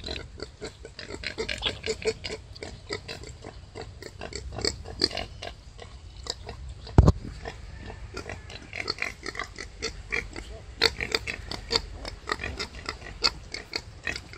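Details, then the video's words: Wild boar sow struggling while giving birth: dense run of short harsh grunts and squeals, close together throughout, with one loud low thump near the middle and a steady low rumble underneath. "Momen Babi Hutan Melahirkan"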